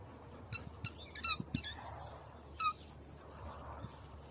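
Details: Dalmatian puppies and adult dogs in a yard on a sunny morning: a burst of sharp, high-pitched squeaky yelps, some doubled, scattered over about two seconds, with quiet gaps and faint outdoor ambience.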